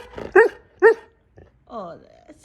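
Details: Husky answering a person with two short grumbling yowls, then a drawn-out wavering whine that bends downward, between spoken remarks from its owner.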